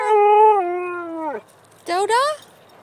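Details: Siberian Husky singing with one held howl that slides gently downward and drops off at the end, then after a short silence a brief rising yodel-like note.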